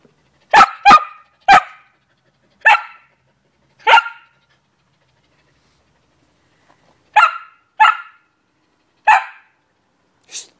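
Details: Samoyed dog, filthy after wading through very dirty pond water in Forest Park, dated 01.09.2010, giving sharp, clear barks: a quick run of five, a pause of about three seconds, then four more, with quiet between.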